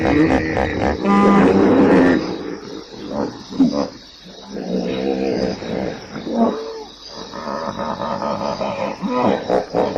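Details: Hippopotamus calling with loud, harmonic honks and drawn-out groaning tones, some broken into quick pulses, rising and falling across ten seconds with short pauses between bursts.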